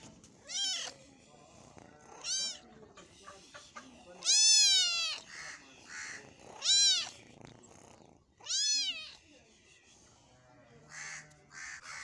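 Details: While eating meat, a cat meows five times in twelve seconds, each call a strong arched wail rising and falling, the middle one longest, with faint murmuring and clicks in the gaps.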